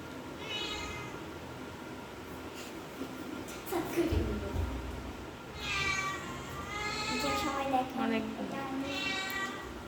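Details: Mini, a cute pet cat, meows repeatedly, with several wavering, harmonic meows, some rising then falling, spaced a few seconds apart, as people talk nearby and faint household noise continues.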